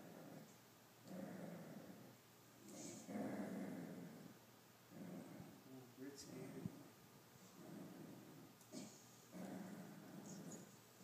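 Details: A male dachshund growls in rough, rumbling bursts, refusing to share his treats with his owner.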